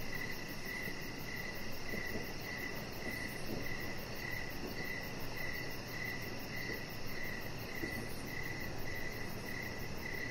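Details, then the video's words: Crickets chirping outside on an evening deck: clear, regularly spaced chirps about every half second, backed by a faint high, fast pulsing buzz and a constant low hum. "Cricket Sounds"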